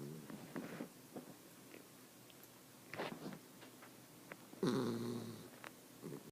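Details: A one-year-old female Miniature Dachshund, asleep on her back on a couch, snores with low, rough breaths and one longer, wheezy sigh.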